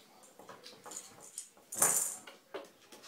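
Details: Minky, one of two pet ferrets playing in a bath, a female with cancer who coughs now and then, recorded on a phone indoors: one short, harsh, broadband burst of a cough near the middle, among soft scratching and shuffling from the play.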